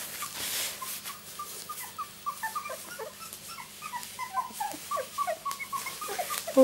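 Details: A litter of two-week-old miniature Labradoodle puppies, born 31 July 2009 to Rosie, makes many short, high squeaky whimpers and chirps. The calls overlap in a busy, steady chatter, and a woman's voice murmurs softly nearby.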